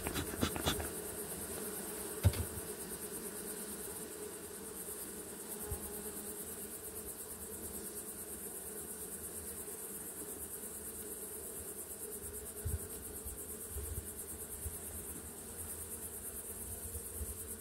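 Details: Honey bees in a Farrar hive system in June, the colony having built out its frames. A steady, low, droning hum of many bees, with a few sharp knocks near the start and faint pulsing insect chirps high in the background.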